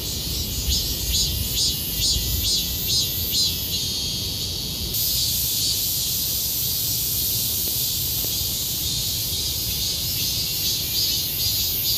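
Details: A cicada (maemi) in the Sejong University garden, South Korea, sings to attract females: a loud, shrill, high buzz in rapid rhythmic pulses that settles into a continuous screaming drone over low background rumble.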